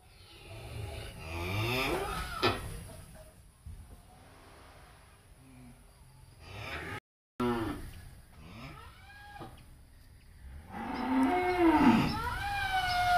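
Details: Cattle of BBB, Angus, Charolais and Brahman breeds held at a Ba Tri breeding farm; two bouts of rough, harmonic mooing early and late, the last one rising then falling, amid background farm noise and a short silent gap.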